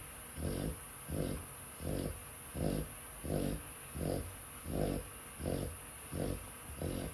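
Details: Dog snoring while asleep: low, rasping breaths repeating steadily about every 0.7 seconds, each a soft rumbling swell, with a faint constant high hiss behind.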